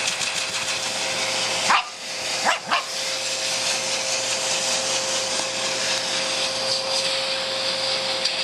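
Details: A pet Shih Tzu, Sophie, thrilled by the vacuum cleaner, lets out three brief harsh barks early on, the last two close together, before the steady whirring of the machine carries on alone.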